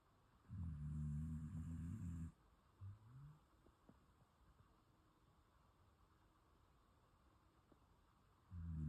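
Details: A sleeping Shiba Inu snoring quietly; one long, low, rumbling snore lasting nearly two seconds, then a brief faint snort and a stretch of quiet breathing before the next deep snore begins.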